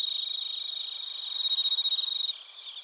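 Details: Bell and field crickets in Narita, Chiba, Japan, recorded on a TASCAM Portacapture X8: rapid, evenly pulsed high chirps, loudest in the middle, before the nearest singer stops and a fainter ringing background remains.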